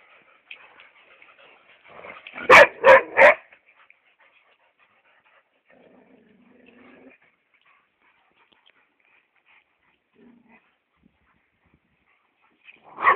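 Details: Hugo, a chocolate brown Labrador Retriever, gives a quick burst of three sharp barks in under a second, then near silence with faint low sounds, ending with one more bark at the very end.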